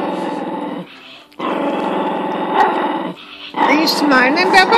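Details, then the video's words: A little dog growling at a bigger dog: steady, raspy growls in two stretches, then people talking over the end. "Small dog big growel"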